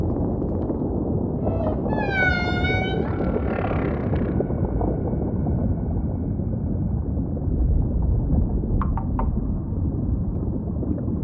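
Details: Singing humpback whale with ocean ambience: a strong, richly harmonic wailing cry that holds then slides down, followed by a fainter trailing moan and a few brief upper chirps later on.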